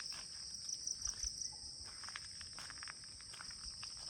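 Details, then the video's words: Morning cricket chorus at ten o'clock around the CRP guest house in Kulaura, Moulvibazar: a loud, constant high-pitched ringing trill, with soft footstep-like taps and brief rustles below. "চারদিকে শুধু ঝিঝি পোকা ডাকছে, কিন্তু এখন সকাল 10টা।"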